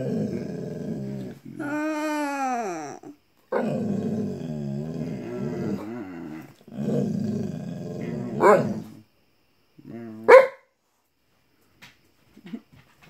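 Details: A back-talking Bullmastiff giving low grumbling growls and one long rising-then-falling whining moan, with muffled voices and sharp knocks between the dog's sounds.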